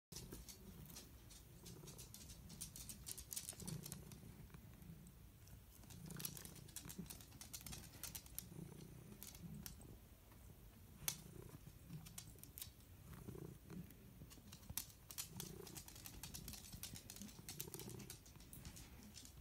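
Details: A happy pet cat purring: a low, soft rumble in steady pulsing waves through the whole stretch, with faint clicks and rustling above it.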